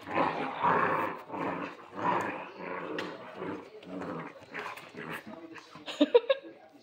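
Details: Alabai puppies Queen, Raven and Zefir, of the Central Asian Shepherd breed, let out rumbling growls in rolling bursts that fade toward the end, followed by a few sharp clicks.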